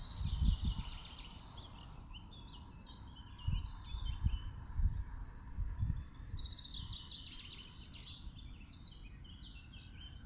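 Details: Endangered field cricket singing from its burrow in warm weather on open, sparse heath under power lines in De Vossenberg nature reserve, Dilsen-Stokkem, gives a steady, shrill chirping trill, with occasional low wind rumbles.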